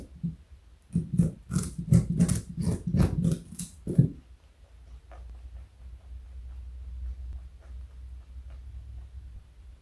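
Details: Joey, a 4.6 kg pet rabbit, crunches on carrot in quick, crisp bites, then a low indoor hum takes over.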